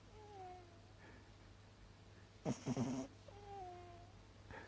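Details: Sleeping female mini dachshund whimpering: thin high whines glide downward at the start and again near the end, separated by a short noisy burst of rustling, all over a low constant room hum.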